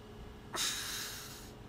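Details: One breathy, hissing snort from a pug pup seated on his sibling's face, starting with a sharp burst and tapering over about a second, against faint background hum.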